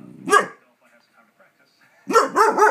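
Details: A pet dog in a neighbourhood barks while fireworks go off. One sharp bark, a pause, then a quick run of three wavering, yelping barks.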